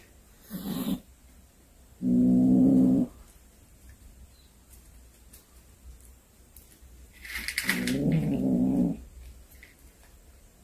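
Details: A cat that hunted a snake and brought it home gives two brief, deep, rumbling yowls about five seconds apart, with scraping and rustling sounds just before each one.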